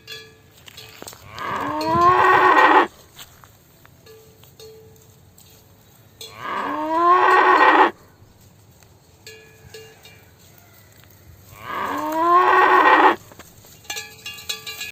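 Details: A cow moos three times, each a long, drawn-out call that rises then wavers, about five seconds apart.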